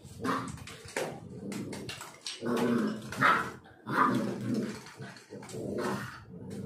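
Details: Young black Labrador Retriever from Kerala, part of a puppy-to-dog transformation; rough, gruff barks mixed with growly rumbling, coming in irregular bursts over several seconds.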